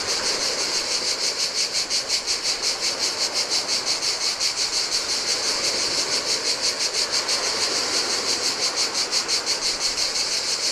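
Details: Singing cicadas in the heat near the Adriatic sea on a Greek island, an unbroken piercing buzz with fast regular throbs, layered over the soft rolling splash of turquoise waves on a sandy beach.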